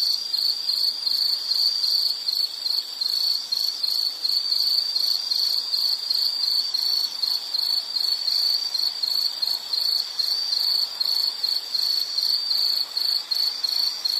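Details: Insect chirping in a nature soundscape: a steady, high-pitched trill of fast pulses that runs without a break. Faint quick flutters sit on top, with no other clear sounds.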